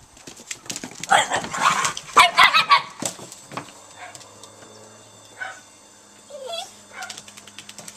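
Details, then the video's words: Italian Greyhounds playing together in a backyard, a pack of seven; a burst of sharp overlapping barks and yips early on, then scattered single higher yelps and whines separated by quiet pauses. "Italian Greyhounds in the backyard"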